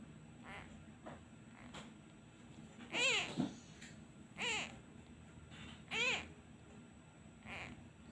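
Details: Abandoned kitten missing its mother, crying when a hand is lifted away; three louder rising-falling meows near the middle, with fainter, softer cries between them and a low rumble in the background.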